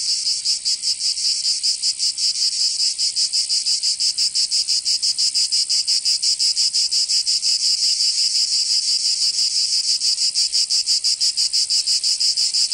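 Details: Cicadas singing in summer in Provence, southern France: a dense, shrill, high buzzing chorus pulsing about three times per second, steady and unbroken throughout, with no other sounds.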